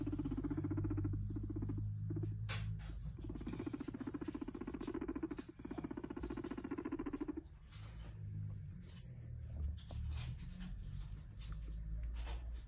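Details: Domestic guinea pig while its cage is cleaned, making long bouts of low, fast-pulsed purring rumbles with short breaks between them, followed by rustling and handling sounds.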